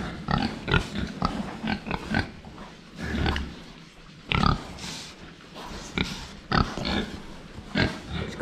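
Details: Group of pigs drinking in a shed pen: a steady run of short, harsh grunts and snuffles, several close together then a pause, mixed with water noise and occasional clanks.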